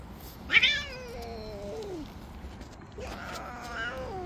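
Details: Jealous tabby cat among street cats, attacking and pushing away other cats that approach: two drawn-out, harmonic meows, the first sliding down in pitch over about a second and a half, the second rising then falling, over steady outdoor hiss.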